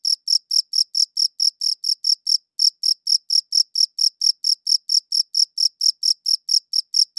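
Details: Cricket chirping, filmed against a light blue background: crisp high-pitched chirps repeated steadily about four times a second, with one short pause near the middle, on an otherwise silent background.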